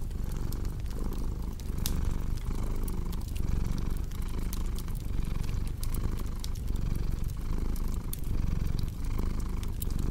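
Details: Steady rumbling purr from a domestic cat, combined with cozy fireplace ambience for sleep and relaxation. Breath-paced swells repeat about every second, with frequent small crackles and pops of burning wood.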